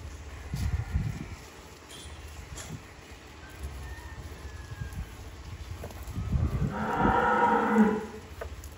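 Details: Deshi bullock with two teeth and 220 kg live weight, offered for sale at a dairy farm in Bhangura, Pabna district, Bangladesh; a single long, low, droning moo swells near the end after quiet handling noises and a brief spoken number.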